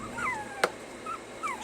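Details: Puppies being trained to stay give thin, high whimpers that slide downward in pitch, about four descending whines spread across the stretch, with one sharp click near the middle over a low steady background hum.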